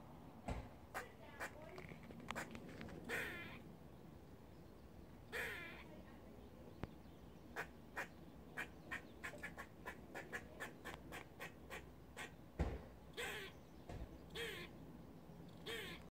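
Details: An angry squirrel scolds with a run of sharp, clicking chatter notes, some spaced and some in quick bursts, mixed with a few longer harsh calls and faint background noise.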